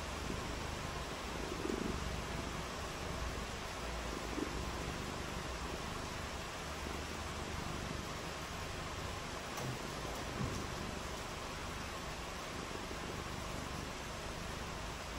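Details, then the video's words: Rainy-day cat purring continuously, a deep rumbling purr with a dense vibrating texture beneath a steady wash of hiss, with a few faint brief clicks near the middle. "RAINY DAY WITH FUN AND PURRING | CAT VIDEOS"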